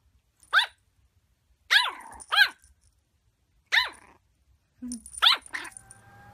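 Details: A Yorkshire Terrier indoors gives a few sharp, high-pitched yaps, spaced irregularly, as its owner tells it to stop and asks what it is barking at, with a TV report on snow ploughing in the background.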